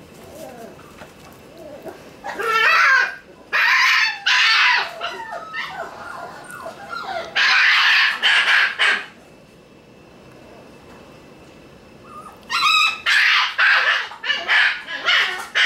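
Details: One-month-old Shiba Inu puppy indoors on its second day in the room. High, harmonic whines and yelps come in clustered bursts. Several calls sound close together, then a long quiet gap follows before another run of yelping.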